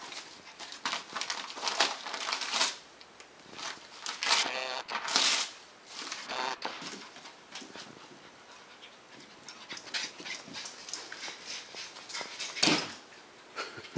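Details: A Border Collie named Leroy indoors, breathing in quick rhythmic pants with a few soft whimpering sounds, broad breathy bursts rising and falling over the clip; a person speaks afterward.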